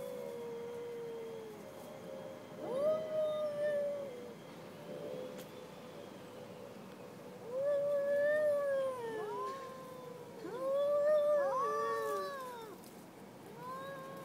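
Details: Two cats in an aggressive encounter trading drawn-out, wavering yowls, sometimes overlapping, with rising and falling bends; loud bursts near three, eight and eleven seconds separated by quieter gaps.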